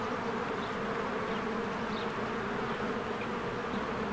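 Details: Bees of a spring beehive flying diligently around their hive; an even, heavy buzzing drone runs throughout, with a handful of faint high bird chirps.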